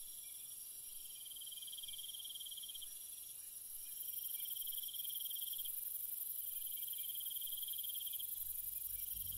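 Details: Crickets calling at night, bursts of rapid pulsed chirps repeating every few seconds over a steady high ringing drone; the chorus grows noticeably louder partway through, with a faint low rumble at the end.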